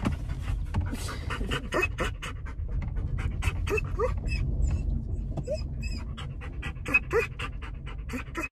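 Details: German Shepherd excited on a car ride to grandma's house: fast, rough panting broken by short high whines, with a continuous low road rumble throughout.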